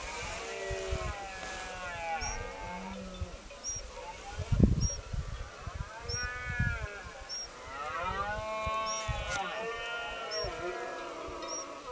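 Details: Rutting red deer on a private estate, their roars blending with groaning fallow deer, recorded by phone through a spotting telescope. Several drawn-out, bowed harmonic bellows follow one another, with faint regular high chirps above.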